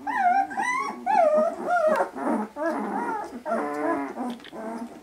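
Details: Vizsla puppies 18 days old, just starting to interact with their mother and each other: overlapping squeaky whimpers and whines, some rising then falling, in short bursts, with softer grumbling squeals between.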